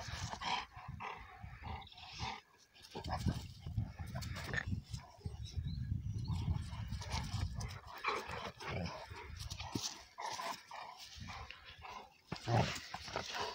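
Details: Two young Cane Corso Italiano dogs, Conor and his offspring Bala, play-fighting for a long while: rough low grunts and growls with scuffling bursts, some thumps, and a human voice faintly in the background.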